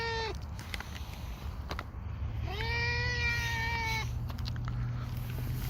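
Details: A hungry black cat, fed dry fish, gives one long, sustained meow that rises briefly and then holds level for about one and a half seconds. The tail of an earlier meow is heard at the start, and scattered clicks sit over a constant low hum.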